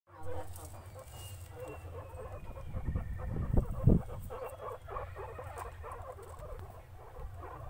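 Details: Guinea pig eating, giving a steady low crunching and rustling patter that runs throughout, with a louder burst of munching near the middle.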